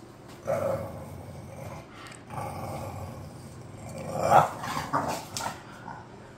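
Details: Bulldogs Khan and Ali, pets, bored: low rumbling growls and short whiny vocal bursts come in uneven spells, swelling into a louder grumbling outburst near the end.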